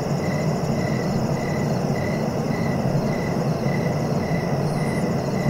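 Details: Steady cricket chirps, brief pulses recurring about every half second in an unbroken rhythm, set against a constant deep droning noise.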